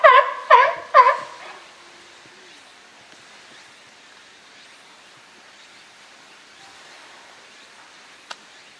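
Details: California sea lions at Higashiyama Zoo and Botanical Garden, Japan, on 12 September 2023; three quick honking barks open the recording, followed by near silence with one sharp click.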